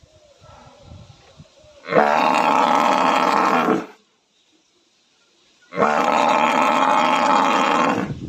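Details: Buffalo. A buffalo bellows twice: drawn-out, harsh, moaning calls of steady loudness, each about two seconds long. A quiet gap separates them, and faint low rumbling precedes the first call.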